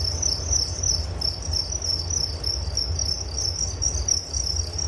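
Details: Crickets chirping in a continuous high, pulsing trill with closely spaced beats, over a strong low rumbling background noise.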